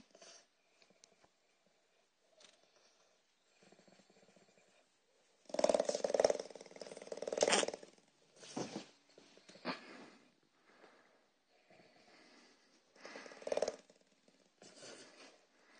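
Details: A 13-year-old dog greets its owner coming home, happy and making a strange, crazy sound: loud strained tonal bursts around the middle, with quieter broken whines and snuffles before and after in a quiet room.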